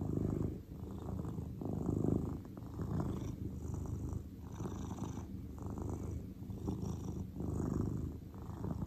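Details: A relaxed grey cat purring: a low, rumbling, steady whirr that swells and fades in slow cycles of about one to two seconds, each inhale and exhale audible as a gentle rise and drop in loudness.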